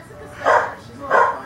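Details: Corgi puppy, eight and a half weeks old, playing with its mother dog, giving kisses and a few bites; two short, harsh yips about half a second apart, with a person speaking nearby.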